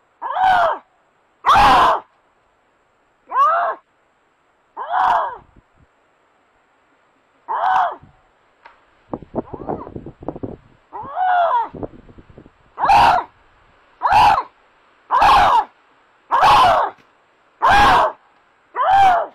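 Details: A Canada lynx, caught on a trail camera in a snowy Maine forest, gives loud, harsh wailing cries, each about a second long, repeated every second or so, behaviour linked to breeding season.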